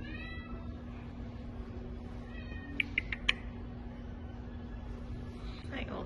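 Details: An old male Domestic Shorthair cat at an animal shelter, awaiting adoption and just woken from a nap, gives a couple of short, faint, harmonic meows while a woman speaks softly and affectionately to him.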